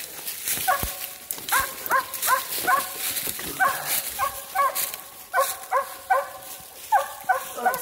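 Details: Mountain Cur mother and pups in the woods during treeing training, near a deer rub. Steady, excited, ringing barks, roughly two or three a second in uneven bursts, with a man speaking now and then.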